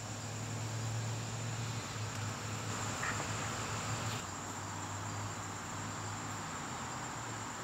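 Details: September evening garden crickets giving a constant, thin, high ringing trill, with a low droning hum of distant traffic underneath and a brief faint click near the middle.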